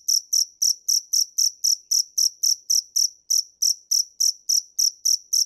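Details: A cricket, called dế mèn in Vietnamese, sings a train of piercing high chirps, around four each second, the rhythm a little irregular with a brief gap midway.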